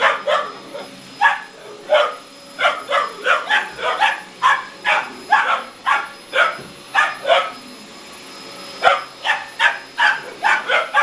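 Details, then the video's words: Two 17-week-old Boxer puppies, Murphey and Miley, barking indoors at a hoover; rapid bursts of sharp, yapping barks in quick runs, several per second, with short pauses between volleys and a faint steady hum behind. "17 wk old boxer puppies arguing with the hoover"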